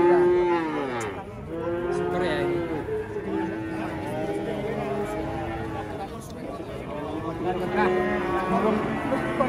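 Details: Calves newly arrived at an Indonesian livestock market: repeated long lowing moos that bend slightly in pitch, one after another with short gaps, over faint background music and murmuring.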